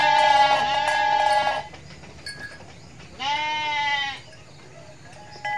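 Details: Mother goat in Indonesia giving two long, wavering bleats about three seconds apart, the first lasting over a second and a half, with steady high ringing tones in the background.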